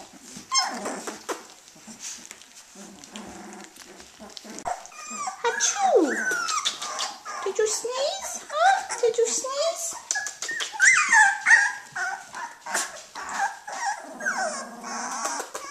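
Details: Young puppies, 18 days old and not yet coordinated, produce rising and falling whines and squeaky play cries that grow busier midway, with quiet human speech and handling noises.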